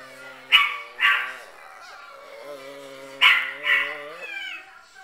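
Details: Chihuahuas reacting to on-screen footage of themselves: two quick shrill yaps, a pause, then two more yaps alongside a drawn-out, wavering harmonic whine that rises and falls near the end.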